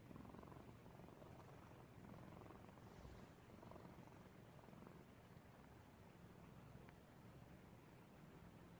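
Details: Elderly tuxedo cat being played with, purring steadily as a low, continuous rumbling throb with a brief dip about three seconds in, against a faint hiss.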